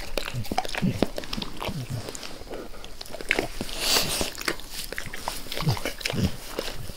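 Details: Max, a pet dog, licking his owner's face with zeal indoors in a small room, recorded with no talking: wet smacking clicks and slurps in irregular bursts, with soft low thumps and breathy rustles between licks.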